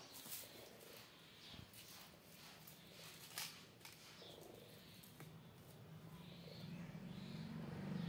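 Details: Cats, with two outside kittens playing in front of a cat and three kittens: low, steady purring that swells louder toward the end, with scattered clicks and rustling throughout.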